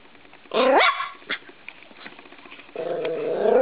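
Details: Thirteen-week-old Norfolk Terrier puppy attacking a spring door stop in a bedroom: one sharp rising yap, a short quieter yelp, then a sustained whining growl building toward the end.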